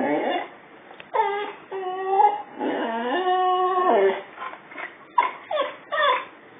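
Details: Indoors, a male Boxer whines at his reflection in a mirror taken off the mantelpiece during a move; long sustained whimpers with wobbling, tonal pitch, followed by several short sharp yips near the end.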